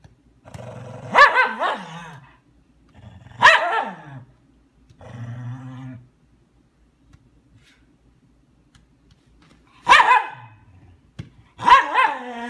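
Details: Ten-week-old female German Shepherd puppy at play, giving sharp, high barks that slide downward: two early barks, a low rumbling growl near the middle, then two more barks after a long quiet spell, in a small room.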